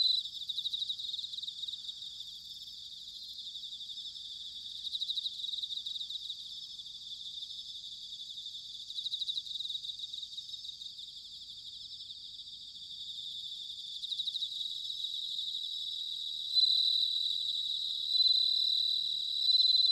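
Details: Bell crickets in autumn, Sanuki, Chiba, Japan, singing a dense high ringing chorus of fast pulsed trills, with several louder sustained bell-like notes after the midpoint and faint higher insect calls overhead.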